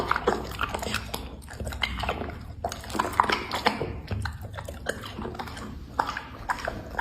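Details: Dog eating food indoors: steady wet chewing and biting with irregular crunchy clicks and smacking, close and continuous, with a faint room hum.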